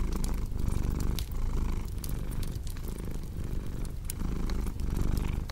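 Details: Cat purring in a deep, buzzing rumble, breath cycles audible as gentle surges and dips about once a second, while a cozy fireplace crackles and pops in the background.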